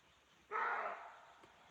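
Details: Roe deer heard while hiking in a forest in Chaumien, France, thought to be giving a territorial or mating sound: a single harsh, hoarse bark lasting about half a second, rough and broad in tone, against quiet forest background.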